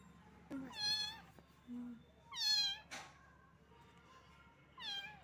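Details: Small cat, wet in the rain and shivering from cold, utters three clear high meows spaced about two seconds apart, each with a slight rise and fall, plus a brief thump and faint hum.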